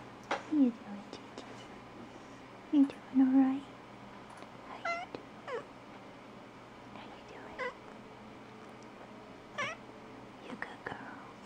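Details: Female Platinum Mink Tonkinese cat, 19 months old, filmed in November 2011, talking at a desk after waking from a nap while being petted: short chirpy meows, a longer meow near three seconds, then scattered brief trills in a quiet room.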